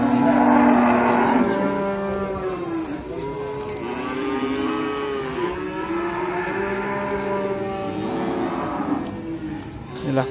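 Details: Several moos overlap at Sukorejo livestock market, Kendal, Indonesia, where Simmental calves are sold. A loud bellow opens, then wavering, rising-and-falling lowing continues over busy background chatter and traffic.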